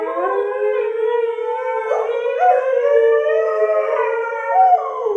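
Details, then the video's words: Sky, a husky annoyed by an English springer spaniel, holds a steady sustained howl with rich harmonics and slight wavering pitch throughout; a second voice briefly slides upward midway. "Annoyed Husky Howling"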